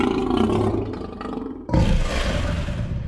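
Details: Lion giving its signature ground-shaking roar; a heavy, bassy, rasping roar that fades, then a second loud burst starts abruptly and rumbles on.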